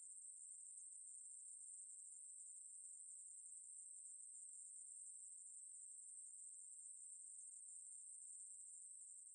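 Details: Ruspolia katydid song from National Institute of Biological Resources material, 2020: an unbroken, very high, hissing buzz held at one steady pitch throughout, with no other sounds present.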